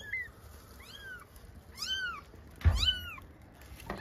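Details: Four-day-old newborn kittens, one of a litter of five, during weighing indoors: a series of about five thin, high, arched mews, each rising then falling, with a soft thump of handling between them.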